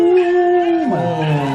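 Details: A domestic dog howls; one dog starts and others join in to communicate, and high sounds such as bells may irritate dogs into howling. A steady, drawn-out tone holds, then slides lower and wavers.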